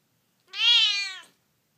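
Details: A spoiled female Siamese cat, prone to hissing, growling and yelling, gives a single loud, drawn-out meow that rises slightly and then falls away.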